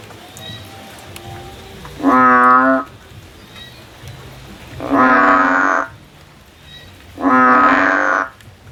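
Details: Three drawn-out, harsh, bleating calls from a frog climbing a tree looking for a way out, each almost a second long and repeated every two to three seconds, the later ones noisier.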